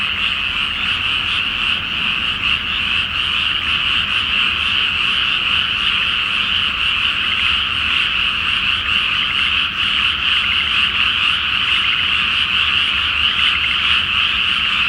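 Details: Loud chorus of frogs at night over a flooded rice paddy before planting in Japan, the full moon floating on the water; continuous dense rattling croaks, many callers overlapping into one unbroken roar.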